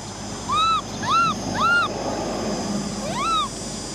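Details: Female orphan macaque baby Cola wailing because she wants a bike ride: three quick arched whimpers within two seconds, a brief pause, then a fourth rising-falling cry, over low background hum.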